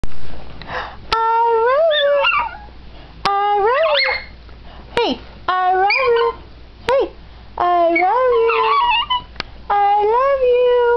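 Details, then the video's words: Pet dog learning to say "I love you", giving a series of drawn-out, wavering howl-whines that rise and fall in pitch, each lasting about a second, in several bursts separated by short pauses indoors. "talking dog i love you"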